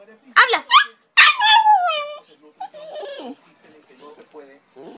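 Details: Westie vocalising in a talkative way, with short yips, then a long howling yowl that slides downward, then softer grumbling whines, as a person speaks Spanish to it.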